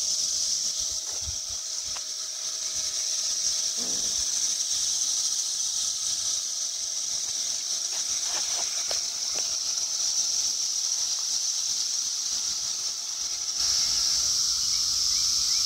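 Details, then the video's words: Periodical cicadas of the Brood X emergence in a chorus in Towson, Maryland, on 22 May 2021: a continuous, dense, high-pitched droning hiss that holds steady throughout and swells louder near the end, with faint low background noises. "Cicada Chorus in Towson, MD"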